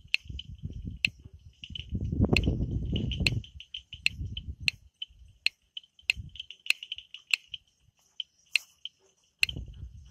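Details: Frogs at night in the Amboli hills forest of Sindhudurg: quick high chirps and crisp, widely spaced clicks sound over heavy low rumbling noise, which swells early on and then fades to near silence between calls.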